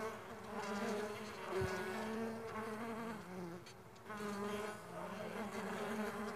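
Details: Stingless bee farm buzzing: overlapping droning wingbeats, pitch sliding slightly up and down as bees move about, a short dip in loudness just before four seconds, then the hum resumes.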